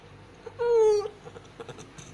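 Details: Domestic cat around giving birth to five kittens: one short tonal mew of about half a second, clear and harmonic, sliding slightly downward. A few soft rustles follow, indoors.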